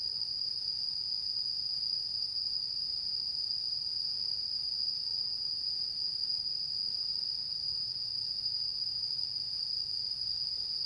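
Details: Autumn insects chirring on the mid-autumn full-moon night of 10 September 2022; a steady, unbroken high-pitched trill holds one pitch throughout, with a faint low rumble beneath.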